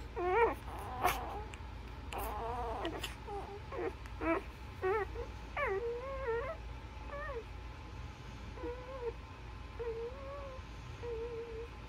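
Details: Newborn Labrador puppies suckling from their mother give a series of high, bent whines and squeaks, each cry wavering up and down; they come thickly at first, then thin out into a few drawn-out, quieter wails.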